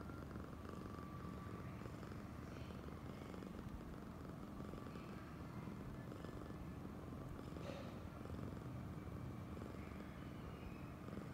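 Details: Affectionate female cat named Oyen purring; a soft, deep vibrating rumble continues without pause, while a brief light scraping noise sounds near the eighth second.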